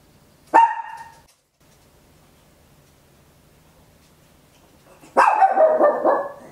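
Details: {'caption': 'Small Papillon barking indoors, stereo home recording: a short sharp bark, a long quiet gap of about four seconds, then a longer, rougher, trailing bark.'}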